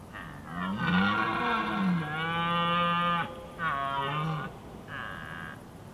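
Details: Wild red deer during the evening rut in Skåne, southeast Sweden, where stags fight over who rules the spot: long, deep, moaning roars, one bellow running about three seconds, followed by shorter ones.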